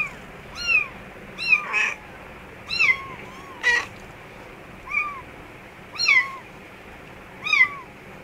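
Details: Mother cat and kittens in an office store room; high-pitched mews repeat roughly once a second, each short and arched with a downward slide, broken by two brief harsh, noisy squeaks.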